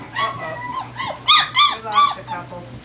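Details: Young German Shepherd puppies, four weeks old, on their first walk: a series of high, arching whines and yelps, roughly three loud ones in a row, with a low hum beneath.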